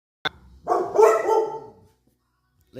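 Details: Alert dogs in the countryside. A sharp click gives way to one drawn-out, whining harmonic bark lasting about a second, then it falls silent.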